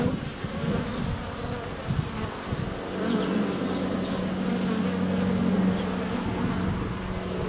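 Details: Constant low droning of honey bees swarming around a hive entrance in February sunshine, GoPro Hero 7 Black less than a foot away; a brief faint high whistle of birdsong near the start.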